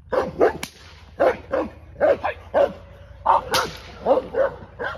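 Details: Aries, an English Mastiff, during a first training session: short, harmonic barks in quick runs of two or three, roughly every half second, broken by two sharp snapping clicks.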